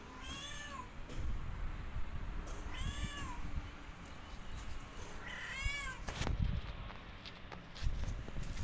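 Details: Domestic cats, a mother and her four kittens, exploring a rooftop for the first time in their new home; three clear arched meows, each rising then falling, spaced about two and a half seconds apart, over low thumps and rustling.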